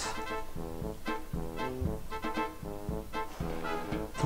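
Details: Bouncy background music with plucked and brass-like notes in a steady beat; no dog sounds present.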